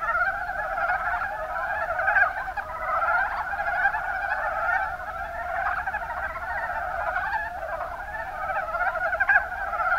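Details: Kuma Basin, Kumamoto Prefecture, Japan: Mountain brown frogs (Rana ornativentris) form an unbroken, busy chorus of overlapping croaks. Occasional brighter notes stand out now and then over the steady chattering background.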